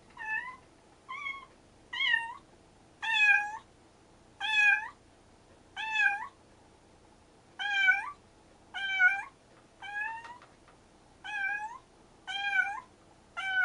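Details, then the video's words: Stray kitten siblings after rescue exchange a long run of meows, about ten to eleven in fourteen seconds at uneven intervals, each bright and harmonic with a slight rise and fall, like a duet or conversation. "野良猫ちゃん兄妹保護 デュオかな？会話かな？"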